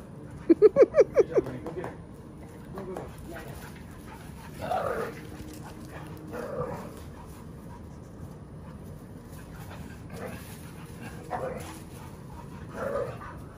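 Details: Playful puppies romping in a front yard in summer; a quick run of about six sharp, yappy barks at the start, then quiet whimpers and shuffling, with people chatting and cicadas droning faintly behind.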